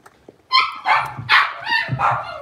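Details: Six-week-old blenheim Cavalier King Charles Spaniel puppies, a litter of five indoors in a puppy pen, give a run of loud, bright yips and squeaky barks, five close bursts over two seconds.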